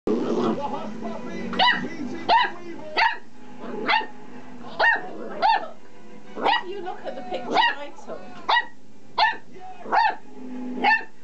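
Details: Oliver, a pet dog wound up by a small vibrating pull-cord toy, barks in short sharp bursts repeated about every half second to second, roughly a dozen in all, with faint voices and a low hum beneath at the start.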